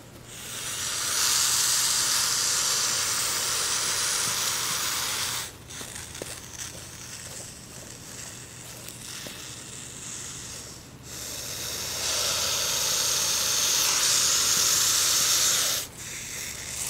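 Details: Hognose snake hissing while playing dead: long loud airy hisses, the first lasting about five seconds and another from twelve to sixteen seconds, separated by quieter stretches with faint rustling.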